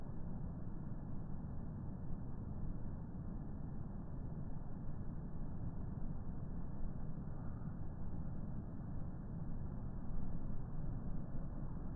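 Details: Continuous dull vehicle rumble, muffled and low-pitched throughout, with no animal voice.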